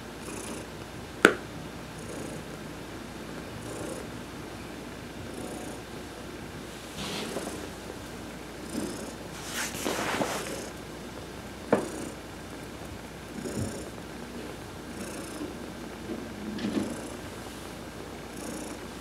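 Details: Heidi, an adopted domestic cat, being massaged during a sun bath on November 19, 2020; a soft low rumbling purr runs through the clip, broken by a few sharp clicks and brief rustling bursts.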